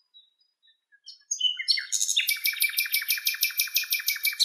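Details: Anatolian predatory bush-cricket, Saga natoliae (possibly Saga hellenica), recorded in its natural habitat in Greece: a few thin, scattered ticks and whistles, then a steady high, raspy buzz pulsing about twice a second.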